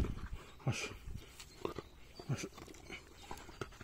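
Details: Polish Hound named Hektor panting after a 22.5 km bike ride: quick, uneven breathy puffs, roughly ninety a minute, soft and low, with a faint human voice in the background.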